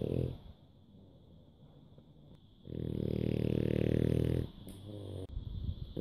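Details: Bulldog asleep at a Dubai pet home, October 2015, snoring competition: a loud rough snore of nearly two seconds after quieter breathing, then a short snort, over a constant high-pitched hum.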